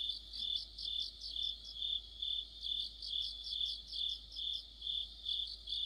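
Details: Autumn chorus of crickets with other insects: a steady high shrill band under rhythmic pulsed chirps, swelling about twice a second over a quiet low hum.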